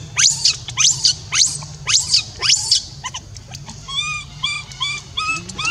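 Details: Rainbow, a young orphan monkey left alone, cries to call Libby back: a run of sharp rising shrieks, then a series of softer arched whimpers, steady low hum beneath.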